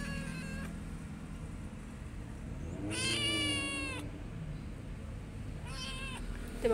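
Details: A kitten found on the street, held and stroked gently; three meows, a short one at the start, a long drawn-out rising then falling meow near three seconds, and a shorter one near six seconds, over a low background hum.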